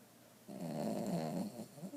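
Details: A lazy bulldog gives one drawn-out snore lasting about a second and a half, a rough, vibrating rasp that swells in after a moment of quiet and fades with a gurgle.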